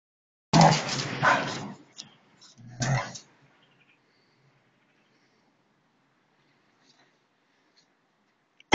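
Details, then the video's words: Siberian Huskies in a friendly fight: two rough, gravelly growl bursts around the first second, then a shorter snarl near three seconds, followed by near silence. "Husky Dogs'friendly fight"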